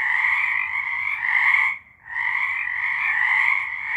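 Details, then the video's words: Frogs singing at night in March 2023, a dense chorus of trilling croaks in two bands, low and high, continuous apart from one brief gap near the middle. "Frogs singing"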